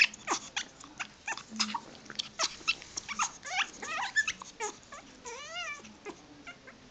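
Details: Pet dog, possibly wanting to mate or just happy, giving a burst of brief squeaky chirps, then a wavering, warbling whine near the end, followed by a few more soft squeaks.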